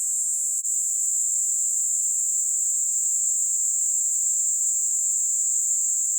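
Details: A Kaempfer cicada (Platypleura kaempferi) sings while held on a hand in the Kanto region of Japan on 26 July 2022: a continuous, high-pitched hissing drone that holds steady without a break.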